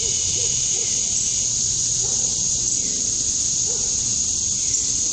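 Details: Male cicadas chirping to attract females at dusk on a summer night in Georgia, USA: a steady, high, unbroken shrill drone, with faint low, short notes scattered beneath it.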